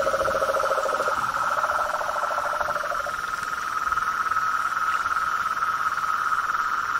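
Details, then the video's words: Nighttime-style frog chorus in nature: a rapid pulsed trill at a lower pitch stops after about three seconds, while a higher buzzing trill carries on unbroken throughout. "Os sons dos sapos , rãs e perereca na Natureza"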